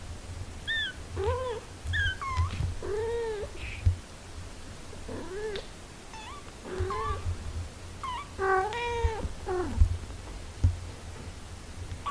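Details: Mother cat tending her six-day-old kittens. About a dozen clear, arching, high mews follow one another quickly, some paired or overlapping, with soft thumps and a low background hum.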